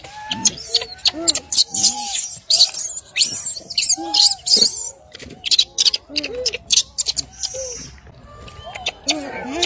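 A baby monkey cries in short, whimpering squeals that arch up and fall away, over crackling background noise.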